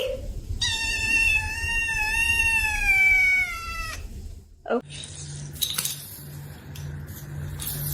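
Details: Pet cat indoors in a funny cat compilation, right after being asked if it is hungry, letting out one long, loud, wavering meow lasting over three seconds, then silence, clattering and a low hum.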